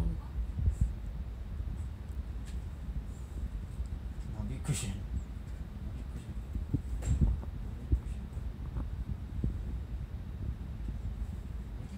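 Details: Quiet indoor speech over a steady low rumble, with a few soft knocks and brief sharp clicks; no animal calls.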